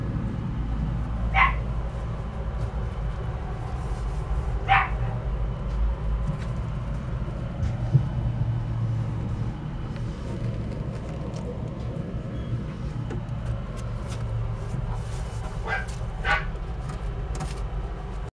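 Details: Pekingese dog barking: about four short, sharp barks at uneven intervals, two of them close together near the end, over a steady low rumble of background noise.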